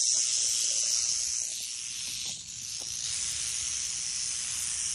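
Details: Small Western diamondback rattlesnake giving a continuous dry, sizzling buzz for five seconds, dipping briefly near the middle before resuming at full strength, with soft low handling noise.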